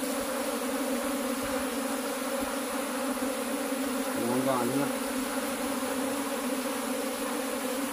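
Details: Cultivated honey bees humming as the keeper hunts for the queen bee. A continuous low drone with layered overtones fills the clip, and a brief human voice cuts in just past the middle.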